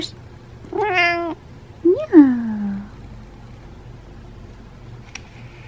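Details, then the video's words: Male domestic cat meowing while being brushed: two clear meows about a second apart, the first steady and slightly falling, the second louder, rising then sliding down, in a quiet indoor setting. "Brushing My Cat While He Meows"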